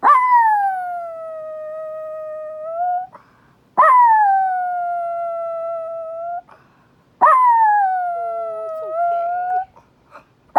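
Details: Chihuahua named Winnie, a female pet dog in Minneapolis, howling at the monthly first-Wednesday tornado siren test, which upsets her. Three drawn-out, even-pitched howls, each lasting about three seconds, rising slightly at the end, separated by short pauses.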